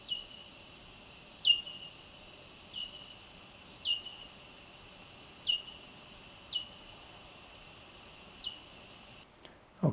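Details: Bat echolocation recorded at night with ultrasonic microphones and slowed 16 times to be audible: short, downward-sweeping chirps repeated roughly every second and a half.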